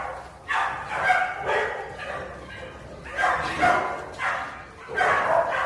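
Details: Farmed wild boars in a pen at Sangbuk-myeon, Eonyang, Ulsan, South Korea, in summer, giving loud harmonic squealing cries in bursts about half a second long, roughly one every two seconds, with brief quieter gaps between.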